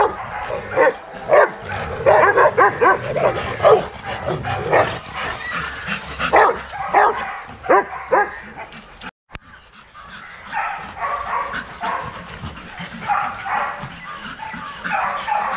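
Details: Young Rottweilers out in a kennel exercise yard, a busy mass of overlapping barks from many dogs, a brief break midway, then the chorus resumes a little softer.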